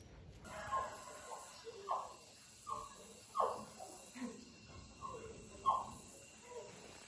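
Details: A cat in a rural village, part of a family that keeps a cat and a dog. It gives short, bright mews about every eight-tenths of a second, each curving upward in pitch, over a low steady hiss.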